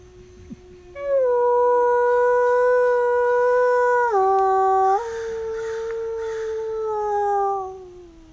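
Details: Captive wolves at Bays Mountain Park howling at feeding time, recorded on an iPhone: one long, clear, steady howl that holds level, briefly drops lower near the middle, then slides gently downward before fading out after about six seconds.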